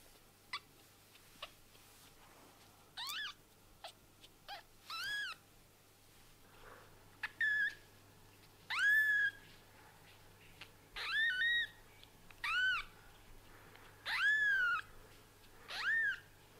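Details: Young kittens whose eyes have just opened give a series of about ten thin, high mews, each rising then bending downward, spaced one to two seconds apart over a quiet background with a faint low hum.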